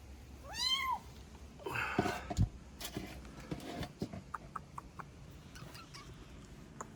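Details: Kitten, one of three that came into a house for shelter on a rainy day, gives a clear rising-falling meow with bright harmonics near the start, followed by rustling, thumps and clicking indoor handling noises.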